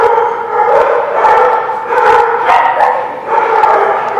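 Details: Dogs recorded on 20 January 2017 give drawn-out, harmonic, yowling barks. They come in overlapping bursts about half a second to a second long, rising and falling in loudness, with some sharp knocks between them.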